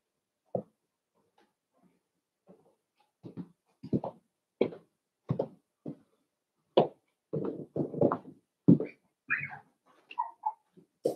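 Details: Cavalier King Charles Spaniel puppies playing indoors in a home puppy pen: a scatter of short, sharp yips and gruff little barks in uneven bursts, with higher whiny squeals rising near the end.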